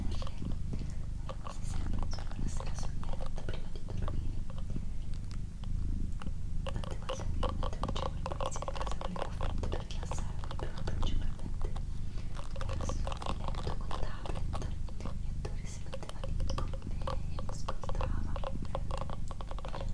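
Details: Doroti, a female pet cat, purring indoors during a relaxing whisper recording: a steady, low, pulsing rumble runs throughout, overlaid by soft human whispering and light clicking sounds.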